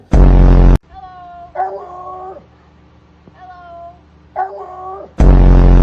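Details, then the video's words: Pet dog prompted by its owner to say "woo" makes weird noises: two wavering, whiny howls with rising and falling harmonics, each about a second long, separated by quiet, bracketed by loud bursts at start and end. "When you have a dog that makes weird noises!"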